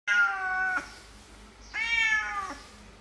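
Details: A sick domestic cat being fed gives two clear, drawn-out harmonic meows indoors, each lasting under a second, separated by a silent pause of about one second.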